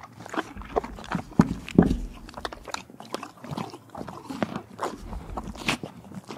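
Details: A horse at the Kentucky Horse Park in Lexington, Kentucky, eating carrots, apples and peppermints; loud irregular crunching and biting, several bites per second, with wet chewing and a few sharp louder crunches near the start.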